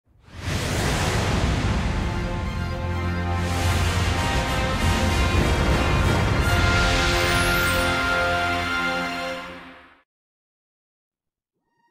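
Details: Dense instrumental music plays for about ten seconds, then stops abruptly into silence.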